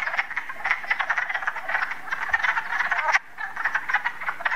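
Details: Frog. Many frogs call at once, a steady wash of quick, rattling croaks in the middle of the range. After a brief dip near the end the chorus swells back to full strength.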